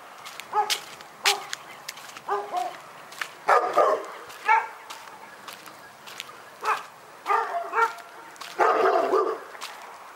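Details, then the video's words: A dog barks intermittently in Pyrga, single and paired barks separated by quiet gaps, ending with a harsher, noisier burst. "Pyrga Barking Nightmare"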